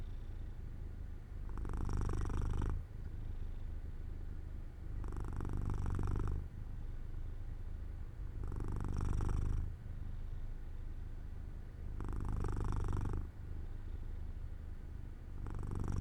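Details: Sleepy domestic cat Jojo lying near an open sunlit window, purring in a slow rhythm: deep rumbling purr with five regular louder surges roughly every three and a half seconds, quieter exhalations between.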